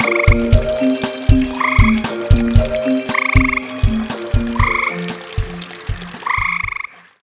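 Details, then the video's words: Night chorus of two tree frogs at a pond, heard over long distances; steady short croaks pulse about twice a second over background music, then everything cuts to silence near the end. "Tree Frogs Concert"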